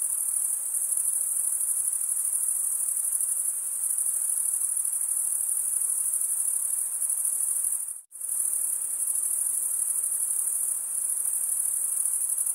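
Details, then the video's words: Steady high-pitched cricket trilling, rapid and buzzy, cut by a brief near-silent gap about two-thirds of the way through before resuming at the same pitch and loudness. "Most relaxing cricket sound"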